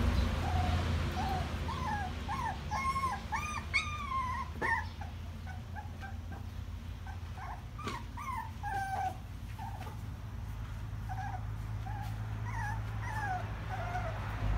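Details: Crying puppies give a long run of short, high whimpers and yelps, some bending upward, busiest in the first nine seconds and softer afterwards, with a constant low background hum.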